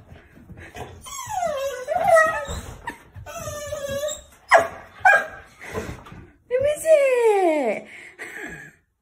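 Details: A Rottweiler gives high, sliding whines and yelps of excitement while happily greeting its grandparents, with people talking nearby.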